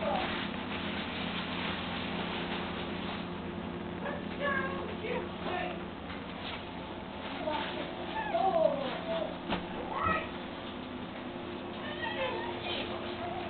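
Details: Boston Terrier puppies in a litter of three (two males, one female), 15 days old, give thin, high squeaks and whines that rise and fall, almost like mewing.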